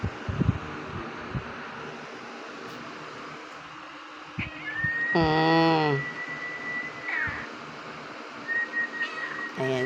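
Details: Thor, a Filipino puspin (local mixed-breed cat), gives one short meow of about a second that rises and then falls, over a steady high whistled tone, with a person's voice and soft thumps around it.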